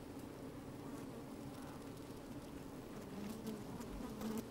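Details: Busy honey bees in an open hive, sunny day with some wind, microphone within the hive: even low humming drone, slightly swelling near the end, with soft ticks of bees crawling.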